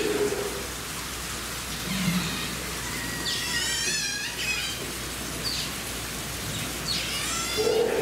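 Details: Asian small-clawed otters, a male and a female at Toba Aquarium, Mie, Japan, on 1 January 2018, give high, wavering squeaks in short bursts over steady splashing water, with a few low murmurs in the background.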